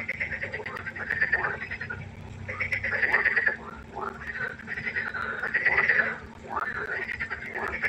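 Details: Several frogs calling at night beside a pond, trading rattling, pulsed croaks in bursts roughly every two to three seconds, louder calls answered by quieter ones, over a faint steady hum.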